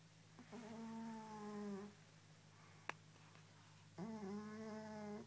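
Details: Sleeping fat orange cat snoring: two long drawn-out breaths with a steady, slightly nasal whining tone over a constant low hum, separated by a pause and a sharp click; a person murmurs just afterward.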